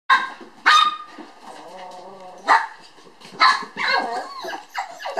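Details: Toy poodle sisters born on 9 July, puppies playing lively at a breeder's in Kyoto: sharp high yapping barks broken by a long whining, wavering whimper, then more yaps and squeaky cries.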